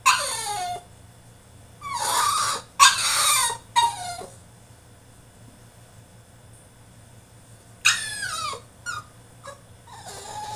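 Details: Caged French Bulldog throwing a tantrum, letting out loud, harsh squealing cries and sliding whines in several bursts, with a low electrical hum between them.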